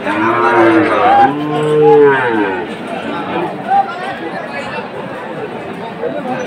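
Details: {'text': 'Moo from cattle at a Chattogram livestock market, Bangladesh, on 7 September 2024, where a Sahiwal bull is bought; one long lowing call in the first two seconds, then busy human voices and crowd noise.'}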